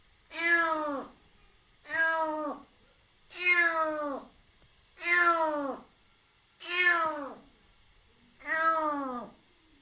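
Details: Wary fostered kitten just over three months old, rescued after losing its mother, meowing six times in a steady series roughly every one and a half seconds, each cry bright and falling in pitch, in a quiet room.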